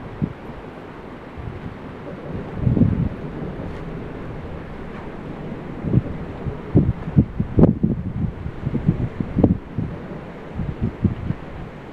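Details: Outdoors under a bridge, gusty wind buffets the microphone in low rumbling bursts with scattered thuds and rustles; no animal sound is heard.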